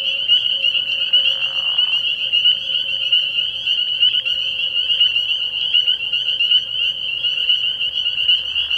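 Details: At a frog pond on an early spring night, massed spring peepers give a relentless high, ringing chorus of overlapping peeps, joined by a short soft whooshing sound in the first two seconds.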